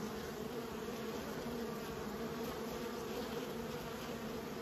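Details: Steady droning hum of raised bees, an unbroken low buzz holding even pitch and loudness throughout, layered overtones above, nothing else audible.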